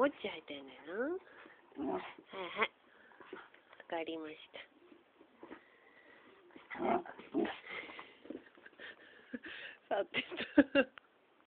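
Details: Pet dog reacting out of jealousy toward a muppet, giving high wavering whines and short yelping bursts that rise and fall in pitch, in several clusters across the recording, mixed with human speech in a small indoor room.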